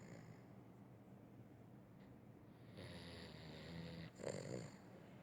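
A Weimaraner snores with low, rumbling breaths and a louder rattling snort near the end.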